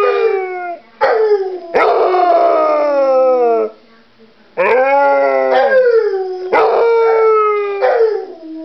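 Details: Copper, a pet dog, howls while holding a bone indoors: long, drawn-out harmonic howls that slide downward, in several bouts separated by short pauses, with one brief rising yelp midway.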